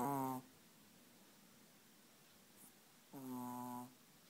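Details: Chihuahua snoring, caught as the tail of one rasping snore at the start and a second full, harmonic snore about three seconds later, with hushed room tone between.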